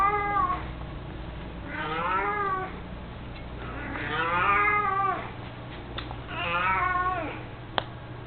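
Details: Elderly 18-year-old male pet cat, mostly blind and chubby, indoors while carrying a toy mouse, gives three drawn-out wavering meows spaced about two seconds apart over a low steady hum.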